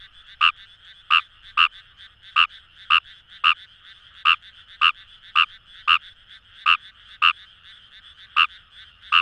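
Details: Rapid, uneven series of about seventeen short croaks from Fejervarya kawamurai in the wet rice fields of the Kamo River, Itoshima, Fukuoka Prefecture, Japan, set against a constant buzzing chorus of more distant frogs.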